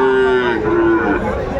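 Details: Sahiwal bull at Aftabganj cattle market, Dinajpur district, Bangladesh, in April 2024. A short, even-pitched moo that sags slightly near its end, with market crowd noise and voices around it.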